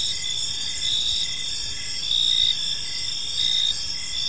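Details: Crickets chirping in a peaceful park as evening falls; a dense, high-pitched shimmering chorus with louder pulsing bursts roughly every second and a half, over a faint low rumble.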